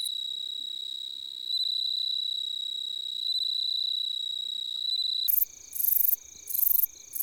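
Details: Autumn grassland insects in Korea, males rubbing wings to court females: a continuous thin high-pitched ringing tone, then abruptly joined by loud rhythmic buzzing bursts pulsing on and off near the end.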